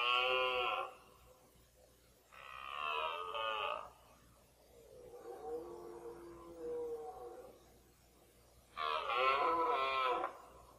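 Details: Red deer stags in the 2014 rut, mostly a fourteen-point stag with a twelve-pointer late on; three harmonic bellows, each about a second long, the middle one a softer, lower moan, with quiet gaps between.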